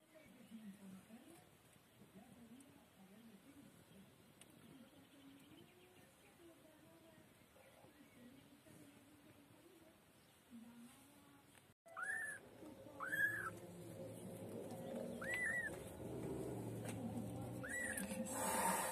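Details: A white female kitten, a pet, is quiet for about twelve seconds, with only a low background hum. Then come several high, arching meows, each rising and falling, spaced irregularly over the last seven seconds.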